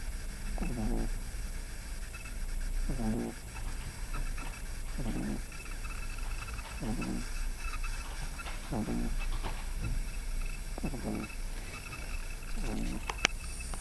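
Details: Sleeping 11-week-old pug puppy snores in a steady rhythm, each rasping, snuffly breath about two seconds apart, low and nasal, with a faint background hum throughout.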